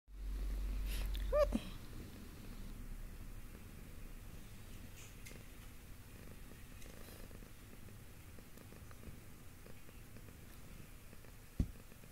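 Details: Domestic cat purring while being petted: a soft, low, steady rumbling drone with a faint pulsing rhythm, preceded by a brief louder rustle at the start in a quiet room.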